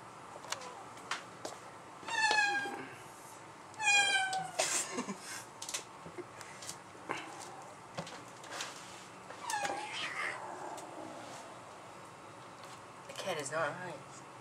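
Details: Domestic black-and-white mother cat hostile toward her black offspring just returned home, indoors in a small room; sharp harmonic yowls with falling pitch at about two and four seconds, hisses and spitting bursts, a later wavering growl-like cry.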